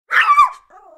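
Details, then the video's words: Kleinspitz dog giving a single sharp yelping bark, bright and high with a brief rising-falling tone, followed by a short, soft, low growl trailing off. "Dog - Kleinspitz: Single Yelping Bark and Growl"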